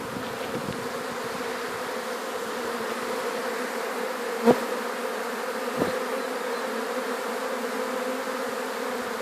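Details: Gentle honey bee swarm being collected into an alternative hive after settling on a hat; continuous even droning hum with two short clicks partway through.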